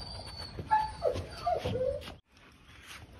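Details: French Bulldog whimpering in several short, soft, tonal squeaks and brief whines that rise and fall, spaced irregularly over about two seconds, followed by near silence.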